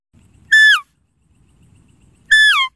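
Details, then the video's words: Deer giving two short, high, clear calls with strong harmonics. Each begins level, then slides steeply downward, about two seconds apart, with near silence in between. "Deer Calling Sound"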